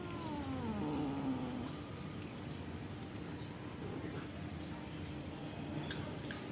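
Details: Pagoda-dwelling cats and kittens begging for food: a drawn-out, wavering meow opens the recording, sliding downward over about a second, followed by quiet ambient noise and a few faint clicks.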